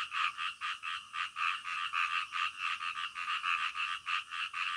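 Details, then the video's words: Midnight frogs croaking in a fast overlapping chorus, the harsh pulsed notes running close to four per second, rolling on steadily without pause. "SUARA KODOK DITENGAH MALAM"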